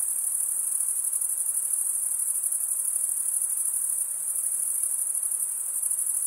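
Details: Crickets chirping, males rubbing the top of one wing along the comb-like teeth of the other, forming a steady very high trill with fast pulses, about three per second in the overlay, nothing else heard.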